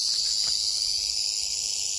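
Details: Canebrake rattlesnake (Crotalus horridus), found on a dirt road in North America at the end of the herping season, rattling. It makes a steady, dry, high hissing buzz that does not break or pause.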